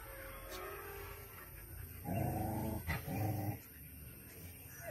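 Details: Dogs fighting on a farm. A short burst of harsh, rasping growls comes in the middle, with two loud snarling stretches close together, then fades into quieter background noise.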